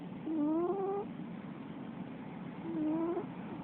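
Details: A female Russian Blue cat snores while asleep. There are two upward-sliding, faintly whistling snores about two and a half seconds apart, each lasting under a second, over a low steady hiss.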